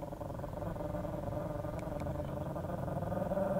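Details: Snowy, a chihuahua, growls aggressively at a person indoors; a low, rough, continuous rumbling growl holds throughout and swells slightly toward the end.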